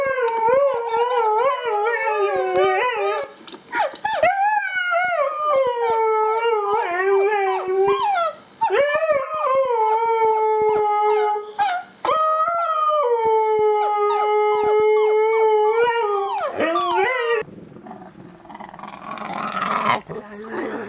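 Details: Dogs or puppies howling in long, wavering, tonal cries that rise and slide downward, several overlapping voices with strong harmonics for about seventeen seconds, then a short burst of noisy, rustling sound at the end.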